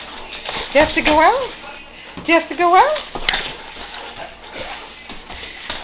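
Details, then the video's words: Two pet dogs, a Great Dane and a Saint Bernard, indoors, vocalizing because they want to go outside: drawn-out whining calls that glide up and then down in pitch, in two bursts, with a person's voice and room noise between. "Dogs have to go out."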